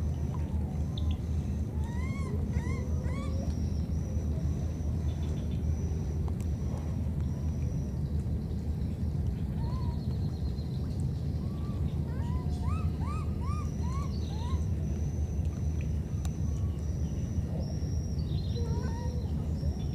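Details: Two wild baby monkeys, separated by a flood, call to each other: short arched whistle-like cries in loose bursts of two to four, set against a steady heavy engine rumble and water noise.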